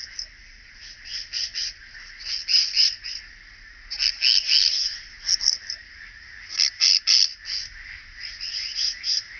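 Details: Song of a striated bush-cricket at Vela Ucka, Croatia, 25 July 2023: rapid high-pitched scratchy chirps grouped into irregular bursts of several pulses each, with brief quieter gaps between clusters.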